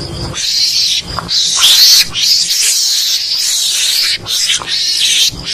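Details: A mongoose-luring call for hunting gives harsh, hissing screeches in long bursts broken by brief pauses.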